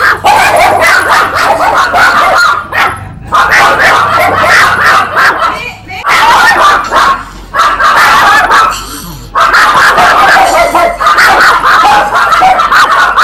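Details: Loud, nearly nonstop yapping from a small puppy, the high barks blurring into one another, with short gaps and human speech mixed in.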